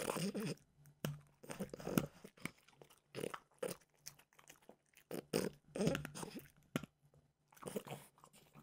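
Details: Mimosa, a French bulldog, eats peanut butter flavored dog treats, giving short sharp crunches and wet chewing clicks in quick uneven runs, pausing briefly between mouthfuls.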